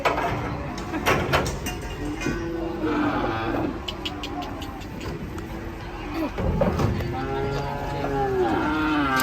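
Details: Agitated cattle lowing in bursts among human voices and some music, ending in a drawn-out harmonic bellow rising then falling.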